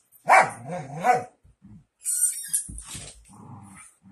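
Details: Miniature Schnauzer giving two drawn-out whining barks with wavering pitch, then a break with scattered hissing and rustling sounds and a few soft low grunts.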